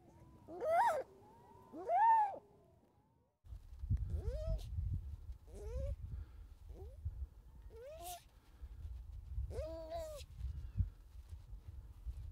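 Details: Baby harp seal on the ice approaching a person it mistook for its mother, coming to smell them: loud arched, harmonic wails, the first two long and strong, then shorter bleating calls at irregular intervals, with low rumbling wind and handling noise.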